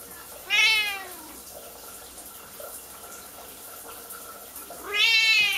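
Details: Kiki, a Siamese cat who dislikes her owner showering and tries to open the bathroom door, gives two loud drawn-out meows at start and end, bright and strained, near-screaming, with faint running water between.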